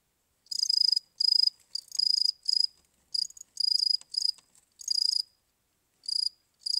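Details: Cricket chirping in short, buzzy, high-pitched bursts of about half a second, delivered in irregular clusters with brief pauses between groups, against a silent background.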